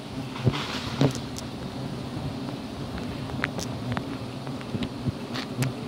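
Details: Giant honey bees at a wild colony during honey hunting on Gunung Bongkok, Jampang, Sukabumi, where teak and calliandra nectar dominate; a steady low droning hum with layered tones, broken by sharp clicks and knocks.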